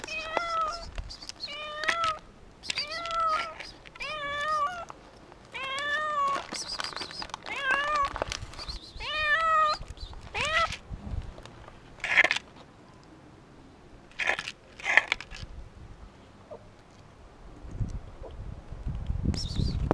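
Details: A frightened, hungry cat meows insistently, a rapid run of short arched harmonic calls repeating about every half second for ten seconds, then scattered clicks and brief sharp noises with quieter gaps.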